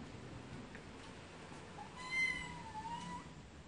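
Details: Cats meowing, one faint early note then a single clearer meow with a long falling tail, over steady background hiss and hum.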